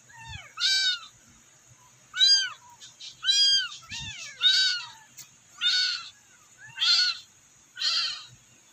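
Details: Loud high kitten mews from rescued, abandoned kittens calling their mother, a regular series of about eight arched cries with brief pauses and occasional low bumps.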